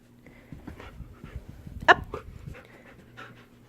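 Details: A Husky puppy doing trained tricks such as sit, down and stand, panting softly between a woman's spoken commands and praise, with one sharp squeaky noise.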